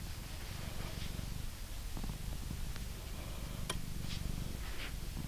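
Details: Purring from a blue British Shorthair male cat kept as a pet in England during a brushing session; a low, continuous throbbing purr sits under soft bristle swishes and a single sharp click near the end.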